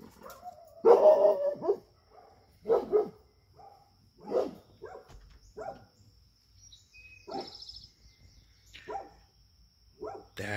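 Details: Sadie the dog barking to chase a deer away from the garden, a series of loud, sharp barks spaced one to two seconds apart, some quieter yips between, a faint chirp in the background.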